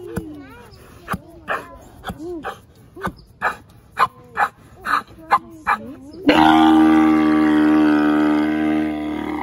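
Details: Adult male Grevy's zebra, seven years old, at Los Angeles Zoo, father of two foals born in April 2019. It gives a rhythmic run of honking pulses about twice per second, then breaks into a loud, sustained, harmonic bray.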